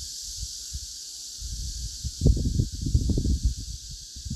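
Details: Korean native Asian honey bee colony giving its collective warning signal while defending against hornet attack: a steady high hiss overlaid from mid-clip by dense, rapid bursts of low rustling pulses.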